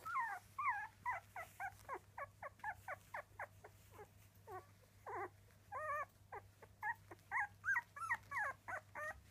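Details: Young Miniature Dachshund puppies, three weeks old, give rapid runs of thin, bending squeals and whines, closely spaced and sometimes overlapping, with short pauses between bursts.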